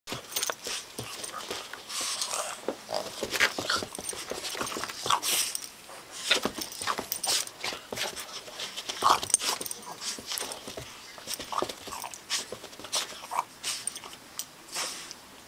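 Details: Two-month-old bulldog puppy playing with a Boston terrier: a busy stream of short breathy snorts, panting and scuffling bursts, uneven and close together, with brief louder puffs throughout.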